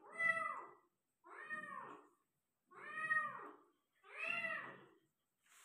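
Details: Persian cat meowing while giving birth to a litter of five kittens, indoors. Four drawn-out, arching meows, each about a second long, come roughly every one and a half seconds with short silent gaps between them.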